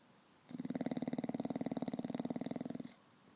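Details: Winston, a pet bulldog, asleep after a fun-filled afternoon at the dog park, snoring as he does every day: one rattling, fluttering breath lasting over two seconds, made of rapid even pulses, in a quiet indoor room.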